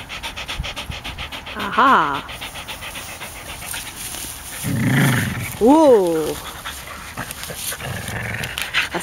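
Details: A champion whippet at play, giving two drawn-out whining yelps that rise and fall in pitch, one near the start and another a few seconds later, with panting and a person speaking French nearby.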